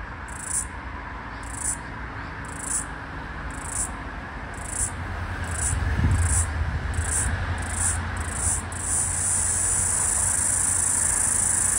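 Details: Floury baker cicada in eastern Australia at the end of summer 2022/2023, high buzzing pulses quickening from about one per second to faster, then merging into a continuous shrill drone, with street traffic rumbling underneath.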